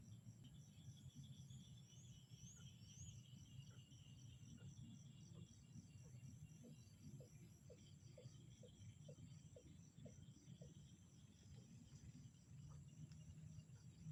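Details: Frog chorus in a calm outdoor setting. A run of brief, evenly spaced clucking notes builds in the middle of the recording, over continuous shrill insect buzzing and a dense low hum.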